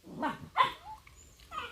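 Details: Jindo dog at home, kept apart from housemates while another dog recovers after leaving the hospital, crying to be let out: drawn-out, falling whines with harmonics in a few short bursts, with quiet speech nearby.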